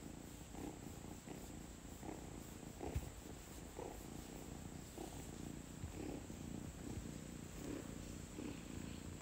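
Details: Kitten purring while enjoying belly rubs before bedtime: a soft, steady rumbling purr pulsing in regular beats less than a second apart, under a constant faint high hiss indoors.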